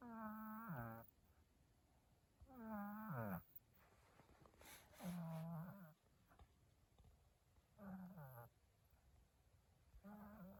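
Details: Snoring from a sleeping cat comes in regular, buzzy, humming breaths, each sliding slightly down at its end and recurring every two to three seconds, with a brief rustle between the second and third snore.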